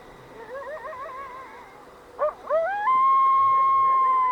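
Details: In Yellowstone, a young coyote, thought hungry, gives wavering, quavering howls, then a long steady high howl, calling for its mother; other coyotes answer in the distance.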